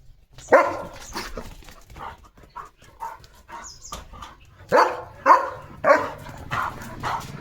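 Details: German Shepherd dog calling for its owner, a pet at home: several sharp barks and whimpering yelps at irregular intervals, loud bursts clustered near the start and again toward the end, with faint background noise between.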